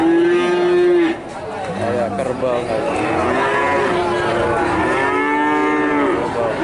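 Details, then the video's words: Calf in Nganjuk, Indonesia, likened to a water buffalo, lowing in a sustained flat moo followed by a string of bending, overlapping moos from more than one animal, faint chatter in the background. "Pedet Sapi Nganjuk"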